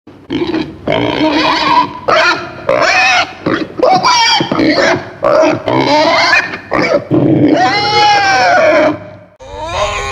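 Pigs squeal and grunt in loud, harsh bursts, some rising into shrill, wavering shrieks.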